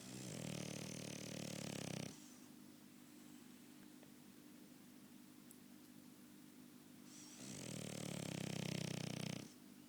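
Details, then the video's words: Snoring French Bulldog: a rough, vibrating snore of about two seconds opens, then five seconds of quiet breathing, then another long, gravelly, buzzing snore. "French Bulldog Snoring!"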